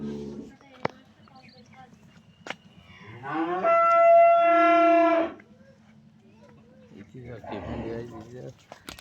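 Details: Fourteen-day-old calf from artificial insemination lets out a single clear, level moo of about two seconds amid a steady low hum, with brief clicks and a man's voice calling to it afterwards.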